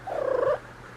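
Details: Ragdoll cat Elsa, a female one and a half years old, on the first day of her first heat, answering her name with a 'kururu' trill: a brief rolling, rapidly pulsed mid-pitched call lasting about half a second, ending abruptly.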